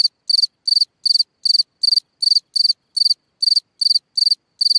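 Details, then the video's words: Cricket at night in its ground hole, sending out bright, high pulsed chirps, each a triplet or quadruplet of clicks, spaced evenly about two and a half per second, nothing else audible. "Watch and Listen a singing Cricket (Chirping sounds, Hole in the ground, Night Ambient Sounds)"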